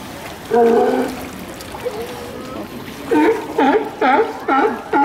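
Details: Sea lions at Santa Cruz Municipal Wharf: a long harmonic bark, a short pause, then a run of five hoarse, clipped barks about half a second apart. Water sounds lie underneath.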